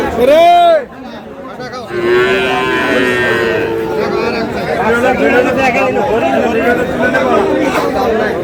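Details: Friesian and crossbred bull calves at Aftabganj cattle market, Dinajpur, Bangladesh, 22 August 2026: one loud, high, arched moo lasting under a second, followed by steady crowd chatter and bargaining voices.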